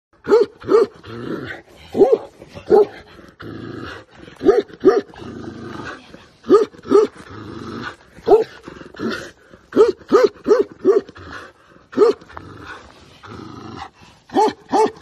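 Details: Tibetan mastiff described as dangerous, giving short, deep, harmonic barking bursts, often in pairs, repeated irregularly through fifteen seconds over a low rumbling background.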